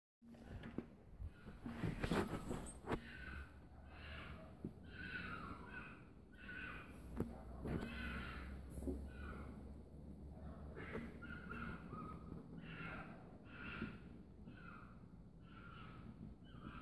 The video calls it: Fox being a Fox making foxy noises